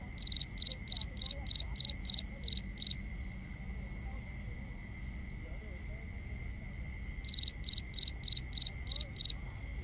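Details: Crickets calling at night, recorded binaurally: a run of high, pulsed chirps about three a second, a silent gap of roughly four seconds, then the chirping resumes; a steady high hum continues throughout.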